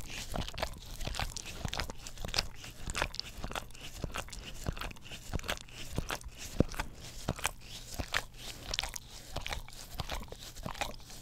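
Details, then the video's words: English Cream Golden Retriever, a pet dog, licking a tongue cleaning brush beside a Blue Yeti stereo microphone; a steady stream of wet, sticky clicks and smacks at an uneven, quick pace, with no other sounds. "ASMR Dog Licks Orapup Tongue Cleaner Brush - 1 Hour - English Cream Golden Retriever"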